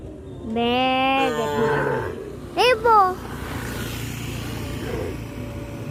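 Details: A cow on a village farm, walking back to the barn with the herd in the afternoon, gives a long, wavering moo, then a brief higher bleat-like call, over a constant low shuffling rumble.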